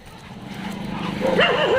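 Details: Dog at a dog hostel in Jodhpur, India, recorded on 15 February 2022: a rising whine that builds into a sharp bark with wavering, yelping tones near the end, with music playing in the background.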